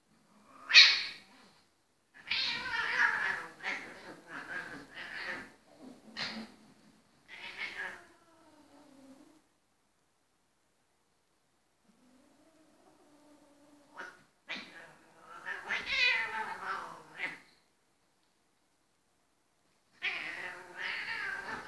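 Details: Indoor playfight between two Ragdoll cats that began as grooming: loud harsh hiss-like bursts and strained yowls in clusters, some ending in falling moaning tails, with a long quiet gap midway.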